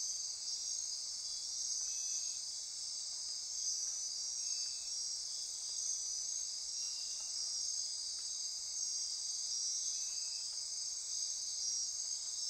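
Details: Insects chorusing at midnight in Costa Rica's rainforest near Corcovado National Park on the Osa Peninsula: continuous shrill trilling with faint pulsed notes recurring every couple of seconds below.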